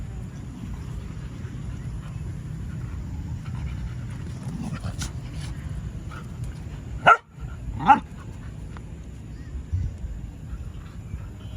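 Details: A dog gives two sharp barks about a second apart midway through, over steady low rumbling background noise, with faint fainter sounds afterward.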